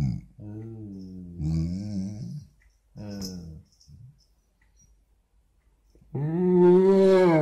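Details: Basset Hound's morning "conversation": several short, low, throaty grumbles separated by pauses. After a longer quiet stretch, a loud, rising, wavering moan follows.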